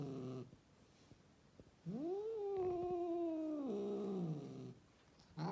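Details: A rescued female cat in Mumbai, India, gives one long, drawn-out, wavering yowl lasting about two seconds, with the pitch holding level and then dropping. Shorter, fainter cries sit at the start and end, and the room is otherwise quiet.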